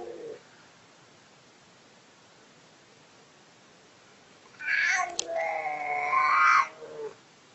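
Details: Pet cat making a single drawn-out meow of about two seconds, rising at the start and holding steady before fading, preceded by a long quiet stretch.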